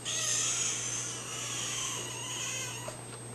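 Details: Kitten meowing like a baby: one long, high, wailing meow rich in harmonics, drawn out and slowly falling as it fades over about three seconds, with a low steady hum and a faint high whine behind.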